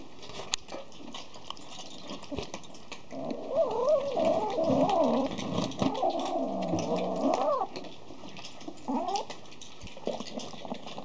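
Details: Tabby cat around food; long drawn-out wavering meow-yowls rising and falling for several seconds, then a shorter rising meow, with a steady background hiss.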